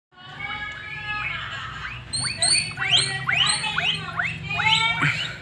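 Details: Several guinea pigs squeaking and whining in the early morning: loud, rising, harmonic-rich squeaks that repeat quickly and irregularly, some drawn-out steady whines at first, with a low background hum.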